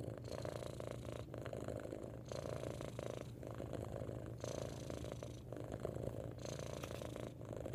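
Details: Loud purring from a domestic cat: a continuous low vibrating rumble that shifts in tone about once a second as the breathing switches between in and out. The purr carries on unbroken with nothing else audible.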